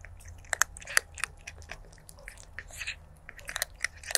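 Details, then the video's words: Stray kitten crunching food, taped 23 January 2024 on a stereo lavalier microphone; rapid, uneven run of crackling bites and wet chewing clicks, roughly two to three per second, against a quiet low hum. "Cute Stray Kitten ASMR Eating & Crunching Food Sounds"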